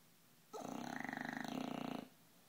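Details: Bulldog, 11 months old and 60 pounds, in a deep noisy sleep: one long snore of about a second and a half, a rough pulsing rattle repeated rapidly, low and buzzy with a steady drone.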